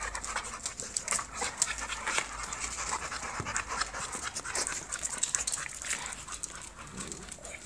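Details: American Bully dog, a show-standard UKC-type bully, panting in quick, breathy, rasping bursts that run through the whole stretch, with faint background hiss and a man's voice nearby calling to the dogs in Spanish.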